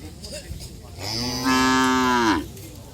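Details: Racing cattle training for karapan sapi bull races in Pamekasan, Madura, Indonesia; one loud, sustained moo lasting over a second, steady then dropping in pitch at the end, with faint background chatter.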